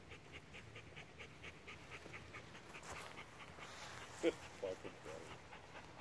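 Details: Bernese Mountain Dog panting in quick, breathy bursts, fast and fairly regular at first, then looser, with a few louder short sounds near the end over a quiet background.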